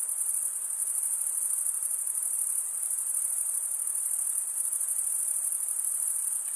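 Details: Male crickets stridulating, rubbing one wing's toothed vein against the other, make a steady high-pitched trilling chorus of rapid pulses that runs unbroken throughout, with a faint hiss underneath.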